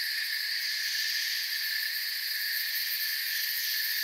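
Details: Crickets in a forest setting, a dense chorus forming a steady, unbroken high shimmer of overlapping trills with several stacked bright bands, no pauses or single callers standing out, and no other animals or people.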